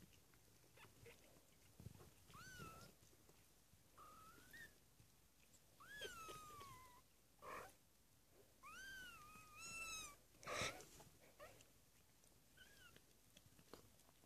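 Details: Three-week-old foster kittens mewing: about six thin, high-pitched meows, several arching up then sliding down, spread across the recording, with soft rustling and short scratchy noises between calls.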